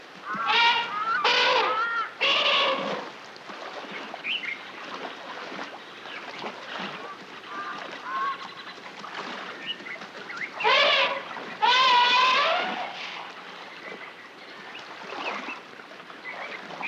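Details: A young African elephant gives loud, harsh, wavering distress squeals, answered by increasingly edgy adults, as it is pulled toward shore during a capture-and-relocation operation at Lake Kariba, Zimbabwe.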